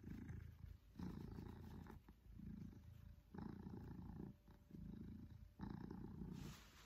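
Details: Close, loud purring from Pippin, an affectionate male Maine Coon enjoying cuddles and attention, in low throbbing phrases that swell and pause roughly every second with each breath.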